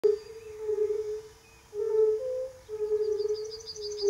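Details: Male European fire-bellied toads at a quarry pond near Třebohostice, Central Bohemia, Czechia, in spring 2013 give calling and competing soft, mellow 'oop' notes, with a chorus of other males behind, overlapping into a steady, low chorus.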